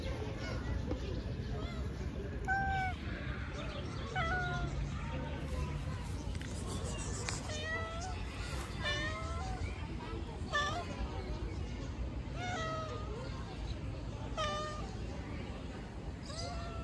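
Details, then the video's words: Outdoor stray cat meowing repeatedly, a dozen or so short harmonic mews, each bending up then down, spaced one to two seconds apart over steady low urban rumble and faint voices. "Cat meows."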